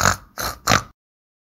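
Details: Pig making three short, harsh, noisy grunts in quick succession within one second, followed by silence.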